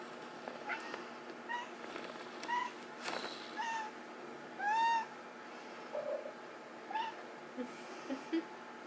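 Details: Baby Bengal kitten indoors during play-sparring and belly boxing, giving short high mews, one longer arched meow near the middle, scattered among soft thumps of play over a steady background hum.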